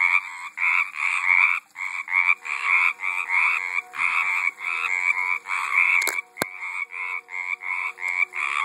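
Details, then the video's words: Frogs calling in a garden pond in 2012, a dense run of rasping, pulsed croaks repeating roughly every half second with overlapping callers, brief clicks near the end. "Frogs in my Pond"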